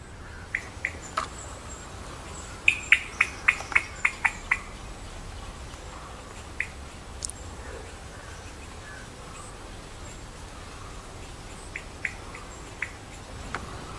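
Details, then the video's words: Indian giant squirrel (Malabar giant squirrel) sitting on a treetop and jumping, giving a burst of about seven sharp, clicking notes in quick succession around the middle, with scattered single sharp notes before and after over a steady background hiss. "Indian giant squirrel sound🐿️Malabar giant squirrel call"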